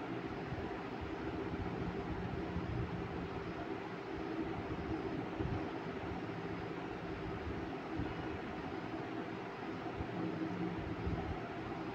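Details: A low, steady rumble of engine-like machine noise runs continuously.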